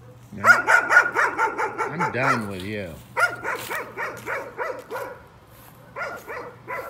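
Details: A dog barks in a fast volley, breaks into a drawn-out wavering yowl, then resumes with looser, slower barks that fade toward the end. A low hum runs throughout. The barking is described as a nuisance.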